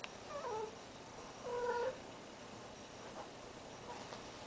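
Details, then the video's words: Cat in heat yowling indoors near a deaf ferret: two clear meowing calls, the first falling in pitch and the second a steadier, louder drawn note, then low room noise. "a cat in heat"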